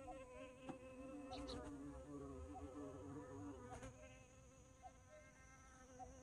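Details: Bumblebee in flight, giving a clear low humming buzz that wobbles up and down in pitch and gradually fades as the bee moves away, with a few brief clicks.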